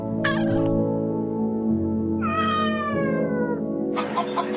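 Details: Domestic cat giving a short chirp followed by one long, slightly falling meow, set against continuous gentle piano music.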